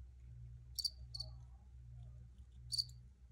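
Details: Crickets recorded outdoors, three short high-pitched chirps: a pair close together early on, then a single chirp near the end, over a steady low hum.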